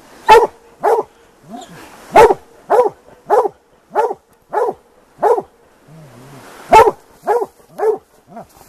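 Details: Plott hounds baying during a hunt for a big tom mountain lion; steady run of sharp, loud barks about every half second, with a brief low voice mid-clip.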